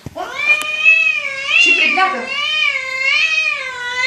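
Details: Kitten meowing loudly in a long, continuous, wavering cry lasting about four seconds, its pitch gently rising and falling several times, with a brief rougher patch midway.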